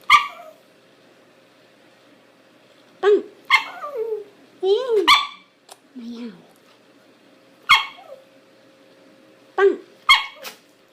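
A Shiba Inu gives short, yelping and whining sounds in irregular bursts, some sliding downward in pitch.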